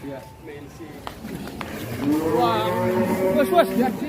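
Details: Rare giant cattle leaving the pen: a long, wavering lowing moo swells in the second half over steady background chatter and a few clicks.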